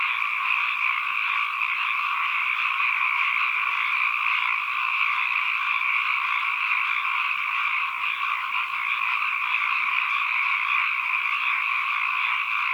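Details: Ambient frog calling: an even, seamless chorus of numerous frogs forming a buzzy drone on two steady pitch bands, unchanging in level across the whole stretch, no background sounds besides.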